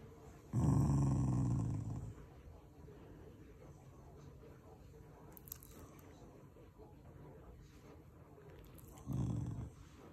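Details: Shiba Inu, a family pet, growling while affectionate rather than angry: two low rumbling growls, a longer one of about a second and a half near the start and a shorter one near the end, with quiet room sound between.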